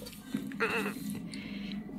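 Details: Lex, a serval kept indoors, calls while after flounder, seemingly wanting fish. One short, nasal, harmonic cry of under half a second rises and falls midway, over a low steady hum and faint room noise.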